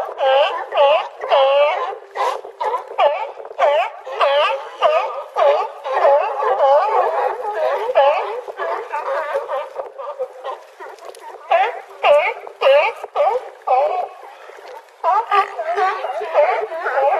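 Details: California sea lions on a harbor dock at Crescent City, California, call in a dense, overlapping chorus of hoarse, wavering barks and honks.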